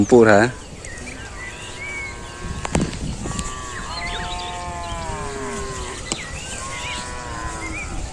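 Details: Cattle described as making strange sounds: one loud short bellow opens, then long, fainter, steady lowing calls follow, overlapping light bird chirps and outdoor background noise.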